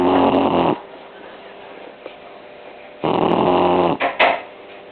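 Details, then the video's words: Arthur, an 11-week-old blue shar pei puppy, asleep on a lap after a long day in the sun, giving loud, raspy, breathy snores in two long bursts about three seconds apart, with quieter breathing and a few small clicks between. "Blue Shar Pei Puppy snoring"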